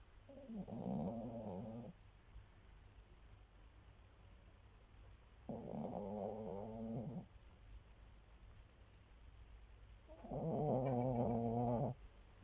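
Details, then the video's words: A sleeping dog snoring in three long, buzzy, rumbling breaths of about two seconds each, spaced roughly five seconds apart. The last snore is the loudest, with a steady low hum beneath. "Собака храпит"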